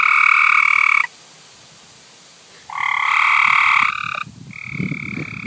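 A frog gives loud, harsh, drawn-out screeches, each lasting about a second with short pauses between.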